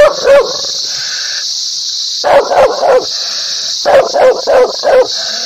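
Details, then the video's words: Bursts of sharp dog barks, two to four at a time, with a brief tonal whine between groups and an unbroken high hiss in the background. "Dog barking sounds/Dog barking happy ,agrassive, loudly,angry"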